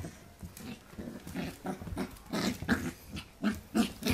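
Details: Pembroke Welsh Corgi puppy, filmed in 2014, growling while playing with a hand indoors; short rough grunting growls repeated about three times a second, getting louder toward the end, with faint rustling.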